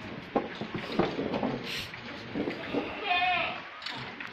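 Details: Goats on a farm, one giving a clear quavering bleat near the end after a stretch of people talking and general yard noise.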